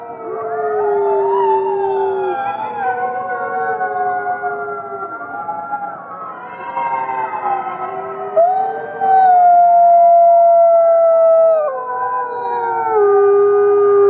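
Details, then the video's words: Fifty captive gray wolves howl together at the Wolf Conservation Center in South Salem, New York: many long, overlapping tonal howls at different pitches, some sliding up or down, one voice rising sharply and holding high near the middle. "Fifty Wolves Howling"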